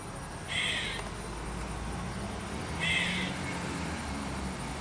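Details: Squirrel in a backyard giving two short, harsh, buzzy cawing calls about two seconds apart over a steady background hum.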